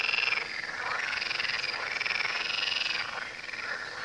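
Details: Frogs calling by the Tywa river: a dense, continuous chorus of rapid, rattling croaks from many overlapping callers, holding steady throughout with only slight swells in loudness.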